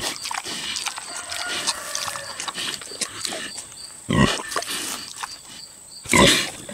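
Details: Boar pig aged six chewing tomatoes: a run of crackly wet smacking and chewing, then two deep, harsh grunts near the end, over a faint constant high-pitched hum.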